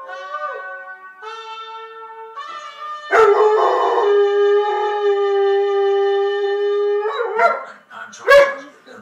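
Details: Pet dog howling along to a television morning show theme tune: a sequence of sustained tonal howls at shifting pitches, the longest held steadily for about four seconds, ending with short yips, with music underneath and a person murmuring.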